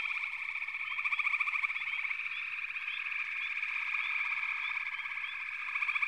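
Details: Frog chorus of continuous overlapping high trills, with brief rising chirps sprinkled through and louder pulsing trill bursts near the start and end.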